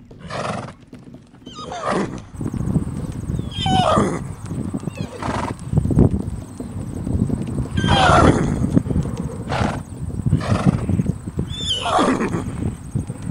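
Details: Horses locked in a wild fight, giving repeated harsh, squealing neighs with wavering pitch about every four seconds over heavy low rumbling and scuffling, plus a steady high electronic whine.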